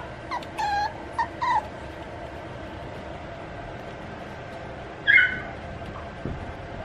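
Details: A male puppy offered by a Japanese breeder gives three short, thin, high whimpers in quick succession, then after a pause a single sharper yip, over a steady low background hiss.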